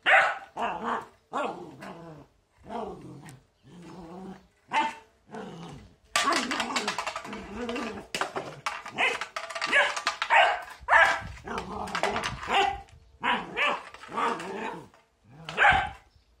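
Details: Border Collie battling a broom, barking in rapid harsh volleys mixed with growls, a dense run of barks in the middle, with bristles scraping on the floor.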